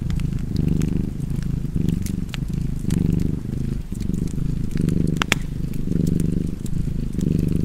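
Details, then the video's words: Domestic cat giving a continuous deep purr in rhythmic breath-paced waves, close and even, with wood-fire crackling and a few louder snaps in the background. "Cozy Purring Cat ASMR / Kedi Mırlaması"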